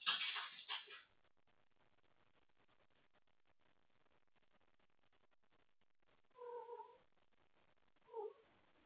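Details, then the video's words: Pet cat awake late at night, calling for someone to play; a loud rough burst opens, then after a long quiet stretch come a clear harmonic meow and a brief final mew. "Wendy wants to play late at night!"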